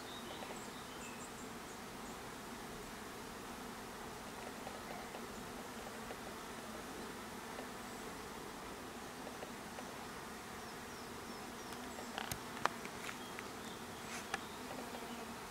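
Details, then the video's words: Honey bees at a hive, a steady low hum of many wings running throughout, with faint chirps of birds in the background and a few clicks near the end. "Hive with bees"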